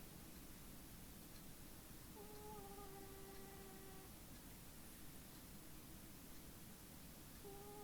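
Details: Tim, a little feral cat, snoring in deep sleep: a steady, nasal whistling tone held about two seconds, then another beginning near the end, over a constant low hiss.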